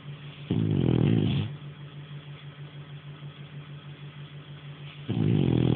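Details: French Bulldog Nara snoring in sleep: a loud, coarse rasp near the start and another beginning about four seconds later, separated by quiet breathing over a constant low hum.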